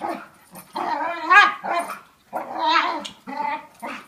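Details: Two dogs, one young and light, one larger and five years old, play fighting; strained harmonic growl-whines with a few sharp yips, in several bursts separated by brief pauses.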